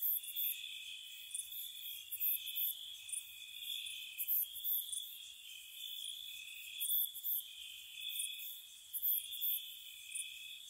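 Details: Crickets at night in spring around a cottage: a steady, shimmering trill holds without a break while higher, sharper chirp bursts come in quick clusters every second or so. No other sounds stand out.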